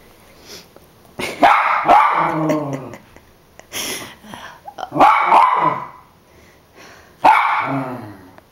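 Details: A dog barking at a dragonfly for several minutes: three harsh, noisy barks with a growly tail, spaced about three seconds apart, plus softer huffs and grunts between them.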